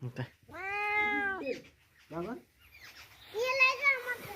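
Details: A stray kitten meows while people care for it and feed it milk, indoors, in Gujarat. A drawn-out, wavering meow is followed by a short, higher mew. Men's voices talk in Gujarati over and between the cries.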